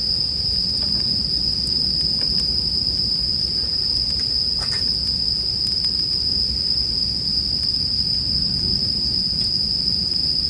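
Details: A continuous high-pitched ring of bell crickets holds level for the whole stretch, layered over a soft low rumble of fire and scattered crackling pops from a campfire, heard as soothing sleep background.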